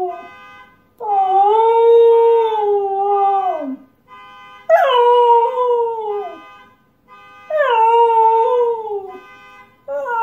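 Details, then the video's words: Husky howling in response to a car alarm: three long, sustained, tonal howls of two to three seconds each, holding steady then sliding down at the ends, separated by short pauses, with a fourth beginning at the close. "Husky howls at car alarm"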